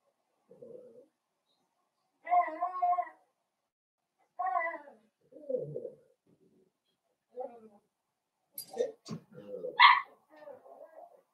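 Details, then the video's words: Blenheim Cavalier King Charles Spaniel puppies, a litter of five born on New Year's, playing with their mother indoors: a run of short harmonic whines and yelps in separate bursts, some rising sharply near the end, with quiet gaps between. "Cavalier Puppies Play with Mama"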